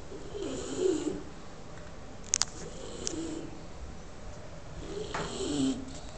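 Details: A Bulldog sleeping comfortably snores softly indoors, giving two slow, drawn-out rasping breaths about four seconds apart, with a brief click between them.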